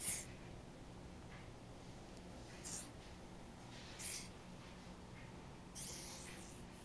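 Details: Angry hognose snake in threat postures, giving four sharp, breathy hisses spread over about seven seconds, the last one longer and drawn out, with a quiet indoor background between bursts.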